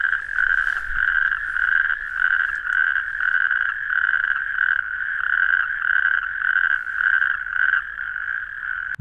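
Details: Natterjack toads (Epidalea calamita) give a loud, rasping, rattling trill repeated in long pulses almost without pause; they call loudly at night, mainly April–June, at very shallow pools in open, sandy habitats.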